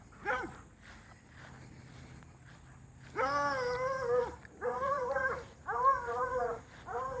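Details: Hound dogs fence racing with a dog named Lucy give a brief yelp, then long harmonic bays of about a second each, repeated in a string of four, outdoors.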